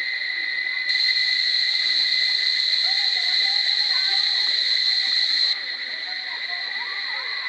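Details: Cicadas in Barichara sing a steady, shrill, ringing drone that swells louder for several seconds, then eases back.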